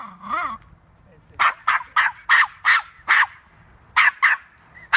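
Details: Toy poodle at a park while chasing a squirrel: a short wavering human voice first, then about nine sharp, yappy barks, some in quick pairs, with quiet pauses between them.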